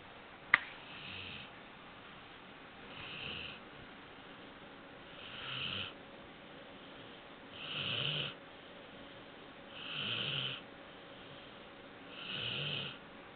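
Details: Four-month-old Labrador Retriever puppy snoring while asleep, a brief tap at the start, then six raspy breaths growing louder, about one every two seconds, hissing at the top with a low grunt underneath, quiet indoor background.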